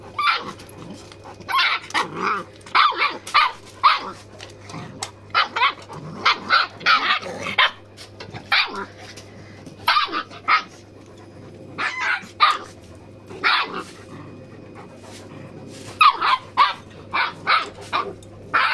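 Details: Farm dogs at play, puppies romping with their big brother Achilles and Susan; bursts of bright, rapid yapping barks come in clusters throughout, some rougher and growly, over a constant low hum.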